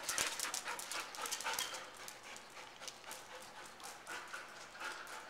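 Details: Rapid breathy panting from Scooby, an adoptable male Chow Chow said to be good with children and other dogs; hissing, rasping exhalations come about four times a second, louder at the start, then fading slightly.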